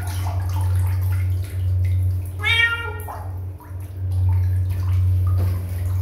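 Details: Kitten, described as a stray, gives a single harmonic meow of about half a second near the middle, over a steady low hum and splashing water.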